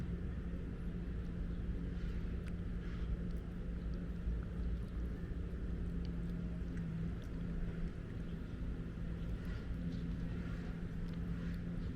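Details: Deep, steady engine rumble with a constant low hum dominates throughout, over faint outdoor background noise and no clear animal calls.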